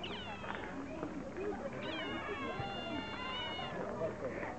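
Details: Otters mewing: drawn-out, harmonic, cat-like miaows that rise and then slide down, in several bursts over a murmur of background noise.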